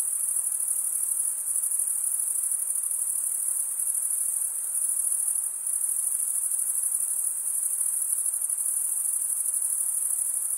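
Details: Male crickets chirp continuously by drawing one wing across the serrated vein of the other, giving a thin, high, rapidly pulsing trill that never stops, over a quiet hiss.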